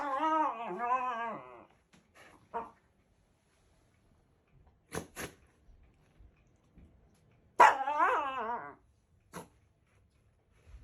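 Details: Indoor Shiba Inu putting on a brash show at a new carpet, sniffing it and throwing fast paw swipes: a long, wavering, whiny yowl, then soft taps and thumps, then another rising and falling whiny cry.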